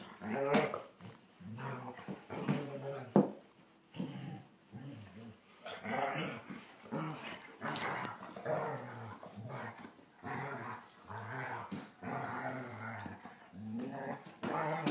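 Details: Two German Shorthaired Pointers at play, the younger one annoying the older: continuous low, throaty growling in uneven bursts, with brief higher whines and a few sharp clicks over nearly fifteen seconds.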